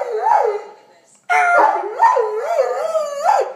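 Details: A Doberman "singing": a wavering, sirenlike howl that rises and falls in pitch, breaking off briefly, then resuming in strong undulating swoops.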